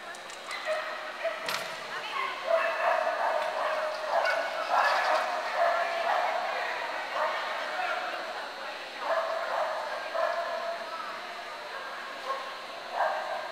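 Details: Clumber Spaniels gathered at Concord in November 2009; a dog gives a quick run of short, harmonic barks and yips at an irregular pace, with people talking throughout and a sharp knock early on.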